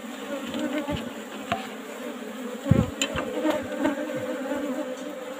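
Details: Colony of Asian honey bees in an old-style box hive at harvest time, a continuous mid-low buzzing hum over rustling and a dull thud near the middle.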